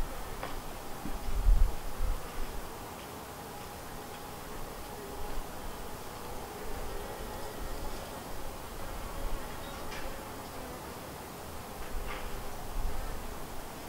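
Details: Western honey bees around their hive, a colony split from another hive, give a steady, low droning hum, with the occasional louder buzz as one passes close.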